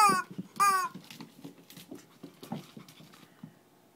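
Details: Shih Tzu in Kochi, Japan, during a small play fight indoors: two high, quavering whines at the start, then a run of soft low grunts and scuffling thumps that fade away.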